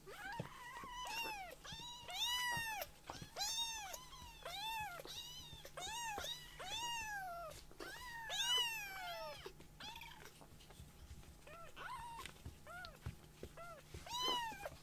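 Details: Kittens in rescue foster care, awake from a nap and seeking their mother while roaming a room; rapid series of shrill rising-falling meows, almost continuous for the first ten seconds, then sparser cries with quiet rustling.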